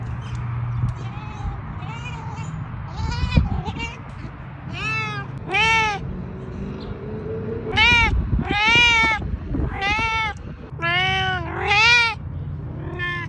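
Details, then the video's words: Talkative pet cat meowing in a rapid run of about ten drawn-out, arching harmonic meows, some rising then falling, a few short chirps early on, with low rumbling background noise. "Meow express arrives at full-speed"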